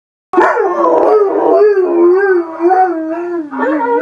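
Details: Northern Inuit Dog having a sing-song howl: one loud sustained wavering tone that slides slowly downward with gentle undulations, lasting nearly four seconds.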